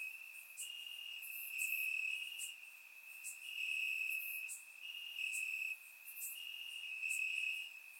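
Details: Warm summer night in Bulgaria, crickets in the grass: an unbroken high ringing trill, swelling in louder stretches of about a second, with sharp rapid chirps repeating above it; surround recording, nothing else audible.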